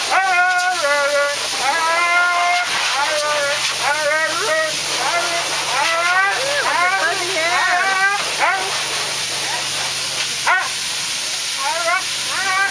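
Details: Thunder, a Siberian Husky, cries and howls during grooming with a loud hissing dryer. He gives rapid, wavering, whiny yelps and howls that rise and fall in quick succession, with music and laughter in the background.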